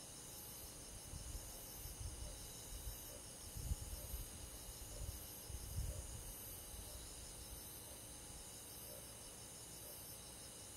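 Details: Summer-night cricket and forest insect chorus from the countryside: continuous high, rapidly pulsing trills layered together, while soft low rumbling gusts, like wind or handling, swell and fade in the middle.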